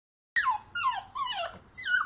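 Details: Chubby toy poodle puppy begging to be taken out to play; four high whining cries in two seconds, each sliding downward, indoors and otherwise quiet.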